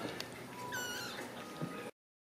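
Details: Ragdoll kitten in a home cattery in central Kansas gives one brief, high mew that falls in pitch, then quiet room noise and a soft thump before the sound cuts off.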